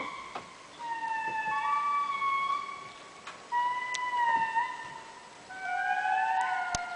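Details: An indri, a group-living diurnal lemur of eastern Madagascar's rainforest, recorded at Andasibe in October 2006, wails in long, sustained, siren-like notes that glide and waver, each lasting a second or two.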